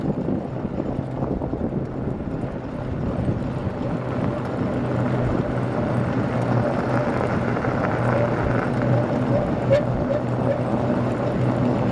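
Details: A steady engine-like drone runs throughout, with faint voices beneath it.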